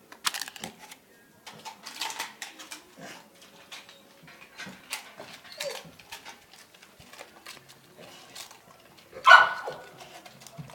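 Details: American Bully named Morgan, indoors while eating chicharrón, gives one loud, sharp bark near the end, with a brief whimpering tone. Clicks, chewing and scraping noises run throughout, and a person calls commands around it.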